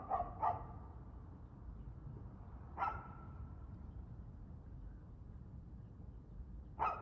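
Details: Evening barking from a dog, 6:02 pm on 2/6/2024: a quick double bark, then single barks a few seconds apart, against faint low droning noise.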